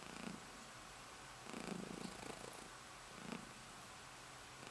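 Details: A pet cat purring as she settles herself to sleep indoors; a soft, low, rumbling purr in pulsing waves, swelling roughly every one and a half seconds, with a faint steady hiss behind.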